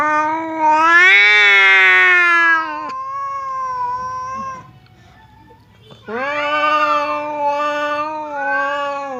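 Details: Long, rising caterwaul yowls from domestic cats Temon, a fierce cat, and Lelo, a quiet one. They meet behind a dividing barrier and sound ready to fight. A near-silent gap separates two strained, wavering howls.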